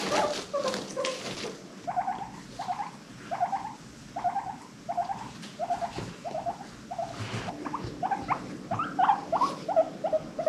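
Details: Guinea pigs from a pet herd of five adopted from a rescue, giving a run of short repeated squeaks, each a quick upward chirp around one a second, over a soft rustling background.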